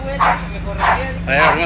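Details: A pit bull in a street dog fight gives three sharp, harsh barks about half a second apart, with people talking over them.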